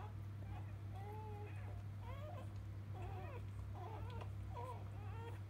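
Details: Labrador Retriever puppies of a field line, moments after birth from mother biscuit; thin drawn-out whimpers and short rising squeaks come irregularly, with a steady low mains-like hum underneath.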